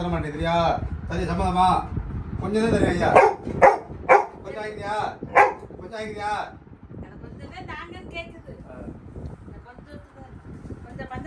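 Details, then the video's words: Labrador Retriever puppy Little John acting mad at his dad to get one more prasad: bursts of high, whiny, harmonic yelps and short barks over the first six seconds, then quieter grumbles, with a human voice and faint music. "Labrador puppy acts mad at dad to get one more Prasad"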